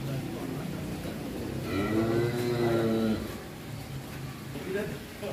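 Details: A one-ton bull named Leo from Putra Mulia Farm, rarely let out and said to be raging as it leaves its pen for the first time, gives a long, low, steady moo of over a second amid people talking and engine hum.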